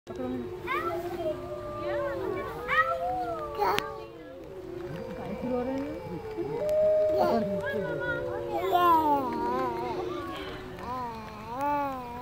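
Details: Wolf pack howling together at Woodland Park Zoo: several long, overlapping drawn-out tones, some steady and some wavering, rising and falling, with higher wobbling voices joining near the end.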